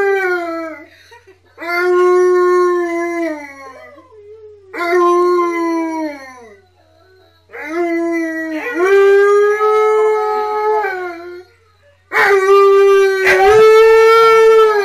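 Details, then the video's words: Siberian Huskies Tonka and Monroe singing along with K'eyush the Stunt Dog: a series of drawn-out howls, each sliding gently downward and separated by pauses, ending with two dogs howling at once. "Husky Dogs Singing With Husky Dog!"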